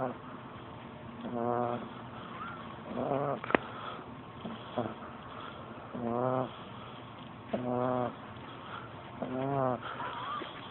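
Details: A 13-week-old pug puppy snoring: drawn-out nasal rasps with a buzzy, harmonic-rich texture, recurring roughly every one and a half to two seconds, with a soft voice heard briefly.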